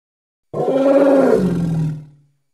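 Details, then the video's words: Hippo of the Congo letting out one loud, gravelly roar of almost two seconds, starting abruptly, sliding slightly lower, then dying away into silence. "Hippo (Congo) Sounds"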